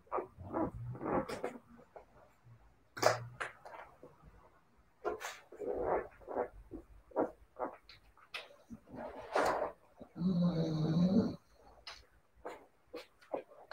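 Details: Siberian Husky puppies yipping and whimpering in irregular bursts, with a louder, sustained low droning sound around the ten to eleven second mark and occasional sharp taps.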